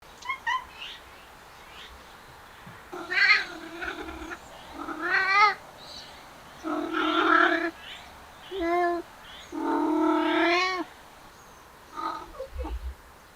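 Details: Male cats following a female cat, stray or pet, making a series of drawn-out wavering yowls, each lasting about a second with rising and falling pitch, spaced by short pauses, plus a few brief meows at the start and end.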